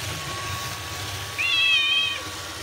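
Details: One drawn-out, fairly level meow near the end, from the Bengal cat Ranmaru fascinated by a robot vacuum cleaner, against a low continuous household hum.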